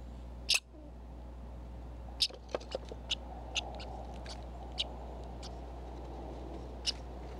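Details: Red squirrel calling at a Minnesota feeder cam with a sensitive microphone: a handful of abrupt, high-pitched chips spaced irregularly, a few close together then sparse, over faint background hum.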